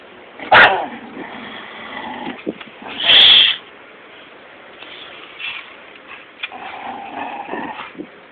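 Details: Dogs of shepherd breeds (German shepherd, Dutch shepherd, Belgian malinois) playing tug, giving short rough growls and a couple of loud sharp barks or yelps near the start and middle, with low scuffling noise between.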